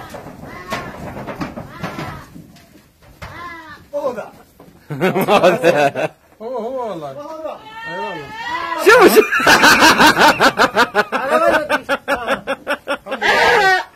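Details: A goat in a funny, mischievous clip gives several wavering, quavering bleats amid loud human speech and laughter, with a few sharp knocks in a small indoor room.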